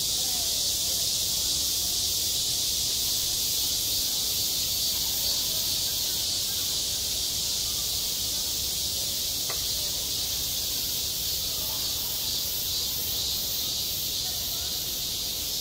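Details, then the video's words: A steady high-pitched cicada drone fills a school playground in the height of summer, unbroken throughout, with one faint click partway through and a soft low background hum. "한 여름 운동장에서 매미가 울고 있다 - 여름의 소리, 학교 종소리, 매미 울음소리"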